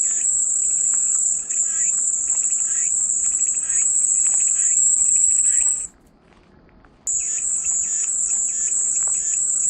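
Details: Cicada song as calming white noise: a steady high shrill buzz that holds for about six seconds, breaks off into near silence for a second, then resumes, with faint bird chirps in the background.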